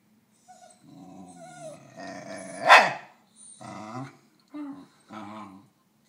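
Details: A Basenji wanting another Basenji's snack gives warbling, yodel-like vocalizations, with one sharp, louder outburst midway.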